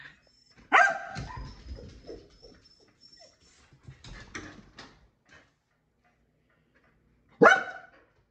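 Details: Keeshond Kumo gives one loud bark, followed by several seconds of softer mixed sounds and a faint steady tone, then silence before a final single loud bark.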